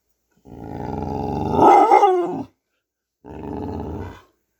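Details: Pet dog growling and vocalizing while playing indoors: a long, rough, harmonic growl-howl rising to a strained peak, then a shorter second growl after a brief pause.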